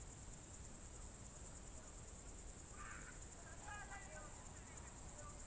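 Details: Evening crickets, Novye Buregi tract, Novgorod Oblast, June 2023: an unbroken shrill, rapidly pulsed high trill fills the whole stretch, with a few brief mid-pitched calls around the middle and low background rumble.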